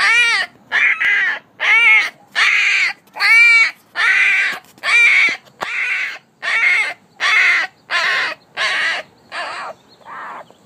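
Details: A one-week-old female Alaskan Malamute puppy gives high, squealing cries, repeated a little faster than once a second.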